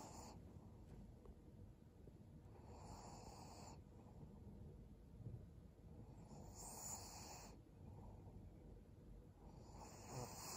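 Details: Resting senior Pug Maria, a fawn female aged 12, in Japan in December 2022: airy, rasping snore-like breaths come in slow bursts about every three to four seconds, separated by quieter pauses against a faint steady hum.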